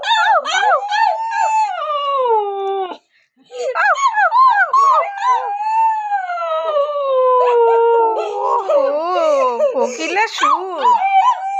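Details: Long bout of pet Siberian Husky howling: repeated wavering, bending notes, a short break, then drawn-out descending tones, with overlapping voices of people joining in near the end.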